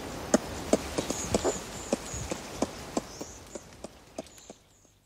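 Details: Adult ring-tailed lemurs feeding in trees at Berenty Reserve keep in touch with clucking calls: quick hollow clucks about two or three per second, fading toward the end, over faint high twitters.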